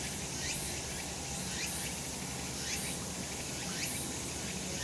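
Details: Chorus of cicadas in sunshine on a summer mountain, a bright, unbroken high drone with quick upward-sliding pulses spaced just under a second apart and brief sharp peaks at the very top of the range.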